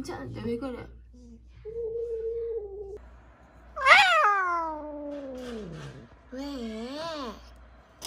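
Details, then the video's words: Donggeul-i, a cat with laryngeal paralysis and a possible seizure, gives a long, strained, falling meow that slides from high to low over two seconds. A shorter wavering, rising-and-falling meow follows. Voices and soft tones come before it. "후두마비 고양이 동글이의 발작 가능성.."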